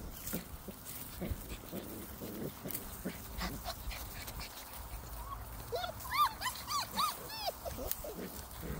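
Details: Six-week-old Labrador retriever puppies playing and running together outdoors; a cluster of short, high, arching whines and yelps comes near the end, over steady rustling, thumping and scuffling noise.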